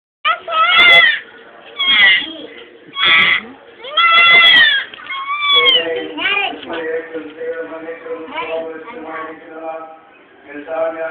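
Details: Goats bleating loudly in a series of wavering, harmonic-rich cries, several in quick succession, then softer overlapping bleats; a child's voice and adult speech in Tamil mix in.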